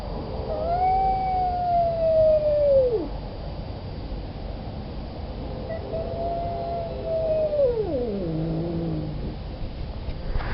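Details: Male cat in heat wildly moaning for a fixed female: two long, drawn-out howls, each holding a steady wavering tone before sliding sharply downward, the second ending in a low groaning tail, over faint background hiss.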